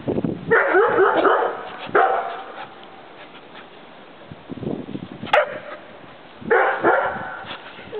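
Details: Playful Bouvier des Flandres pair, Julienne running, jumping and leaping while Derringer coaxes her to play; rough, growling barks in bursts near the start and again near the end, with a quiet gap of scuffling between.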